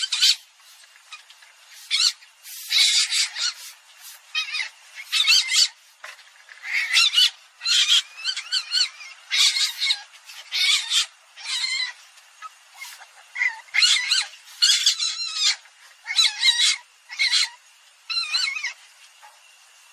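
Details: Common palm civet calling: bursts of harsh, squeaky squeals in quick clusters, repeated across the whole stretch with short gaps, mostly high-pitched and scratchy.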